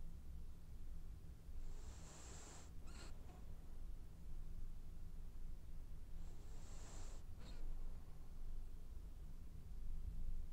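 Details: Dreaming French Bulldog snores in two breathy, whistling inhalations about four and a half seconds apart, each ending in a short nasal snort, against a faint steady low hum.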